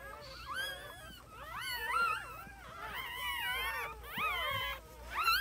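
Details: Newborn puppies whining, several high thin voices overlapping in rising and falling wavering squeals, near-continuous with brief pauses, the loudest cries bursting around the second and final seconds.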